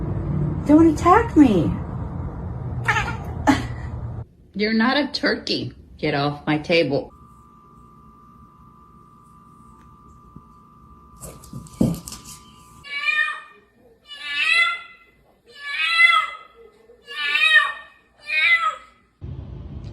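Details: Domestic cat meowing in a run of about six short, falling cries spaced roughly a second apart, coming after a stretch of human speech and a steady electronic tone.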